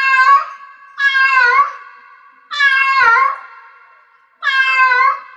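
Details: Cat in heat meowing: four loud, drawn-out harmonic meows about a second and a half apart, each with a falling-rising tone and a lingering echo trailing after it.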